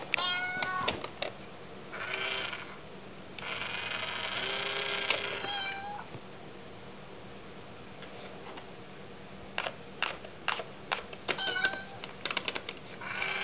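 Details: Mayu, a pet cat unsettled by the tiny kitty in an Itazura coin bank box, lets out two long wavering meows. Then come sharp clicks and taps, with a short meow near the end.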